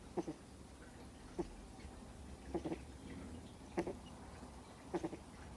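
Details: Snoring from a deeply sleeping two-month-old Miniature Schnauzer puppy: soft paired snorts spaced over a second apart, quiet and regular, with only a faint room hum behind.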